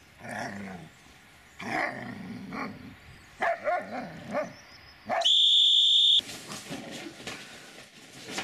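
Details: Dobermann named Magmar Von Der Burgstätte barking: short harsh barks in separate bursts over the first four seconds, then a steady high electronic-sounding tone lasting about a second, followed by broadband rustling noise.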